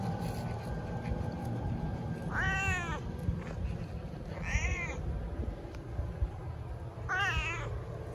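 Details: A pet cat gives three separate meows spaced a couple of seconds apart, each a brief wavering cry, with a constant low background rumble.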